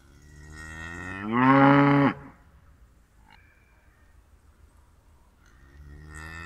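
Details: Cow mooing: a single loud, drawn-out low moo with a rich harmonic tone, lasting under a second and ending abruptly, followed by quiet, with faint rustling at the start and end.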